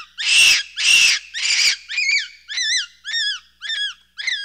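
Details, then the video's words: Capuchin monkey opening with three harsh, noisy screams, then switching to a regular run of high, arched whistled calls, about two per second, each with a wavering hump in pitch. "1 Hour of Monkey Noises | Monkey Sounds | Capuchin Sound"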